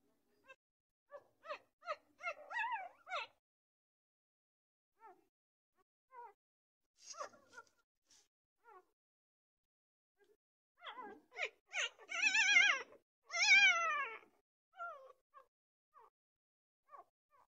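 A puppy gives high, wavering whines and short squeaky yelps in irregular bursts.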